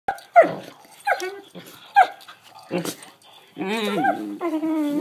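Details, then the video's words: Collie puppy sisters vocalizing: a few short high yelps sliding downward, then a sustained, wavering harmonic howl-like whine over the final second and a half, with faint human sounds in the background. "Collie puppy sisters vocalizing"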